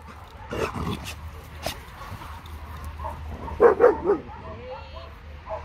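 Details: Tala, a two-year-old medium-sized female German Shepherd mix awaiting adoption, gives a couple of sharp barks early on, then a quick run of three barks midway, with Italian speech and low background rumble between them.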